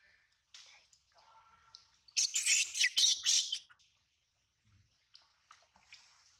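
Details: A little monkey cries after its mother bites it for stealing milk: a loud, harsh, high-pitched screeching burst of rapid shrieks lasting about a second and a half, framed by faint squeaks and soft rustling.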